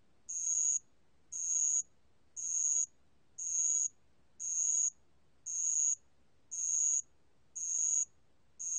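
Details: Bell cricket recorded by the National Institute of Biological Resources, Korea, in 2020: clear, pure, ringing high trills, each about half a second long, repeated evenly about once a second, nine in a row against near silence.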